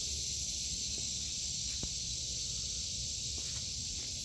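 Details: A continuous high buzz from cicadas fills a summer vegetable garden in August 2023, unbroken throughout, with a couple of light taps and a low outdoor rumble underneath.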